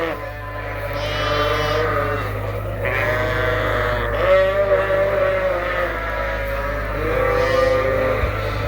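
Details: Suffolk lambs, mixed into one big group in a barn at Ewetopia Farms after a gate was left open, bleat together in a dense chorus of wavering, overlapping calls, with a steady low electrical hum underneath.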